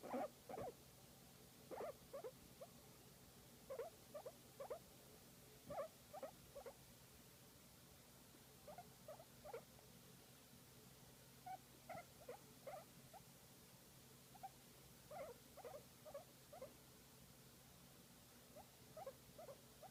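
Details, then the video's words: Pet guinea pig enjoying a massage, giving short soft squeaky chirps in irregular clusters, bursts of two to four notes spaced across the recording, steady low hum underneath. "Guinea Pig Enjoying a Massage and Making Cute Sound"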